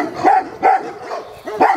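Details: A Komondor gives three deep, harsh barks, each a short burst with a pause between, during a courage test in Üllő, Hungary, in 2016.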